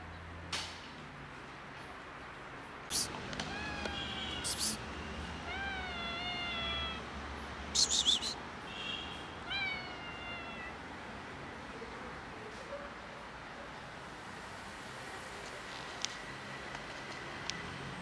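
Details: Domestic cat with a broken leg, still affectionate, gives a run of about five clear meows between three and ten seconds, each rising then falling in pitch, with sharp handling clicks and knocks in between and quiet background afterwards.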